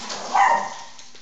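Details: Husky named Casper, excited at late hours before bed time, gives a short voiced yelp-like vocalization peaking midway and fading, indoors in a quiet room.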